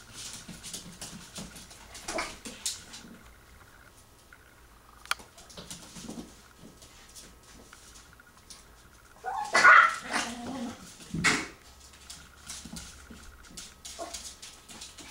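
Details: A 16-week-old, 1.3-pound female Yorkshire Terrier puppy plays with her toys and with adult dogs under a door crack, giving a few short, high yips among soft scuffling noises.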